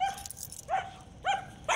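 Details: German Shepherd female with aggression issues, extremely reactive to other dogs, animals and vehicles: high, thin whining yelps, a steady tone followed by two short rising cries, against faint background noise.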